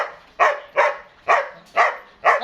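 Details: Eight-month-old German Shepherd at a dog house in Dinajpur, Bangladesh, barking five times in a steady rhythm about every half second, each bark loud and sharp with a trailing fade.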